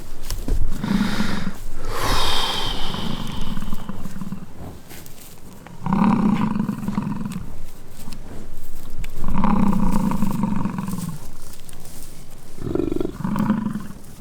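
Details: American bison during rutting season fighting on Peace River Ranch, Fort St. John, British Columbia, Canada: deep, drawn-out roaring bellows about a second long, repeated four times with short pauses between.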